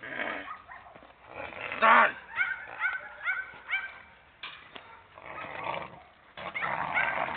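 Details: Dogo Argentino dogs Beri and Dora giving a quick series of high, tonal whines and short yelps, with bursts of excited vocalising between pauses and people talking and calling in Italian nearby.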